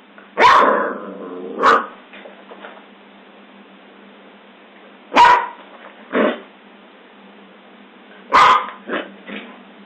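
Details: Scottish Terrier barking: sharp, loud single barks in spaced bursts, a pair near the start, another pair mid-way and a final cluster, each a short broadband yap over a steady band-limited hiss.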